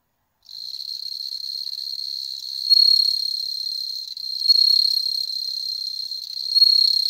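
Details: Captive bell crickets bred at home in Hokkaido, Japan, with cats watching; after a short silence a sustained high tinkling trill starts and continues, swelling in three louder bursts roughly every two seconds.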